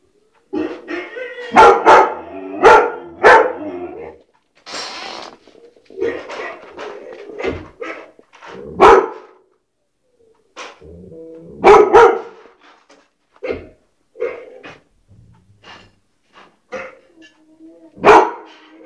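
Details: Repeated sharp barks from a white shepherd dog, coming in irregular clusters of two or three with short gaps, mixed with some lower gruff sounds throughout nearly twenty seconds.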